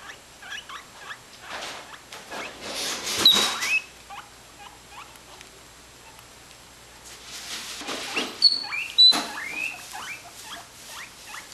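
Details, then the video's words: Pair of pet guinea pigs calling for food: scattered short rising squeaks and a few thin whistles among rustling and shuffling noise, calls sparse and uneven. "Feed us!"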